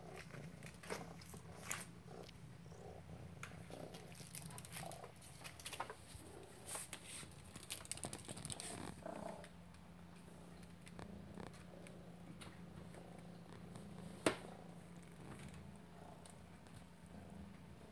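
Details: Purring Maine Coon, Lilly, during a chase after "prey": an even, low rumbling purr that holds throughout, with light rustles early on and one sharp tap near the end.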